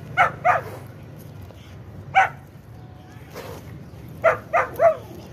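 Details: Kohati Gultair bully dog barking in short, sharp bursts: a quick pair of barks, a lone bark about two seconds later, then a rapid run of three, over a steady low background hum.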